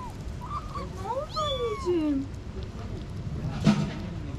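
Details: Kittens about six to eight weeks old, left alone after their mother went missing for a week, found at a parking garage gate and moved to a safe spot, being given wet food. A few thin, wavering meows slide downward in pitch over low background hum, then a click.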